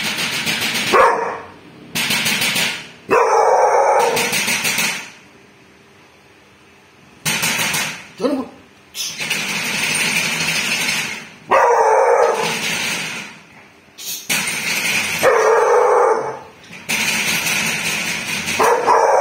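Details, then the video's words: Bull, a dog, barking at a thief: repeated rough, loud barks in clusters with short pauses, one longer silence midway, the series keeping up across the whole stretch. "bull biết sủa ăn trộm"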